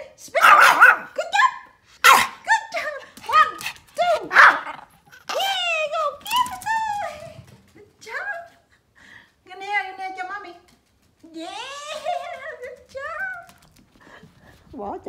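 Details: A Pomeranian at playtime gives sharp, high yapping barks, then whiny, rising and falling yips while a person counts and praises.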